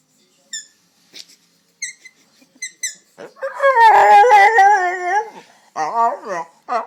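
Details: A dog making an unusual, crazy-sounding noise: faint high squeaks at first, then a loud, wavering, yodel-like howl lasting about two seconds, followed by shorter whining phrases.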